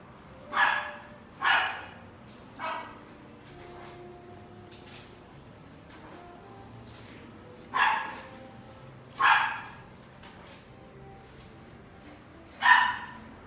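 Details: Male blue roan English Cocker Spaniel puppy, born 1 July 2018, kept at a pet shop, gives six sharp barks in uneven bursts, two close pairs and a single, with quiet gaps and a faint hum between them.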